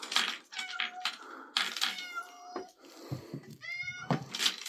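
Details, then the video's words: Domestic cat recorded 3 April 2024 giving three meows, the last one strongest and slightly rising, with sharp clicks and noisy rustling bursts in between. "My cat Pippin Meowing"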